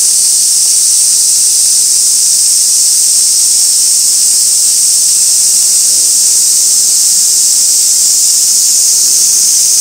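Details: Cicadas at Gaikotsu-yama, recorded 2 August 2024 by a fixed camera beside an old sawtooth oak crowded with white-spotted rose beetles: a dense, steady, high-pitched hissing drone without pause, filling the whole clip.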